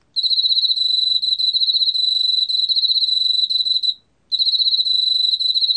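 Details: Shrill pulsed trill of a Korean field cricket, 2020 recording from the National Institute of Biological Resources, running about four seconds, breaking off briefly, then resuming with the same rapid even pulses.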